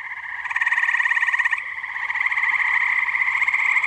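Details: Tree frogs chorusing on a muggy night at a pond in New Jersey: a dense, fast, pulsing trill in two bright bands, thickening after half a second and continuing unbroken with many overlapping callers.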